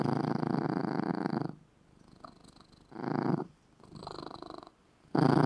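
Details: A cat asleep in a little red cat bed gives loud, relaxed purring. A long, even rumble is followed by shorter purring phrases that rise and fade with each breath, separated by brief quiet gaps.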